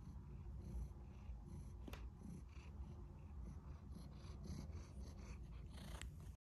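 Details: Tortoiseshell cat wanting to be petted, purring steadily at close range in a small room; a continuous low rumble fills the whole recording with a few faint clicks and rustles over it.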